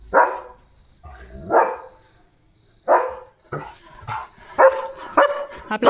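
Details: Leo, a limping pet German Shepherd at a house doorway, barks singly and then in a quick run of sharp barks, while a person talks to him over a constant high-pitched hum.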